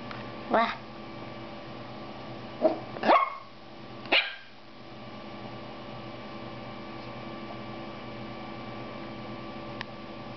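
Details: Female toy poodle puppy, first time seeing herself in a mirror, gives several short high yips in quick succession, then quiet with soft room hum.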